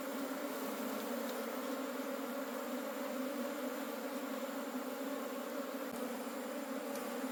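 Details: Dense, unbroken droning of a wild honey bee colony in the forest as its honey is harvested, loud and even throughout, with a couple of soft clicks near the end.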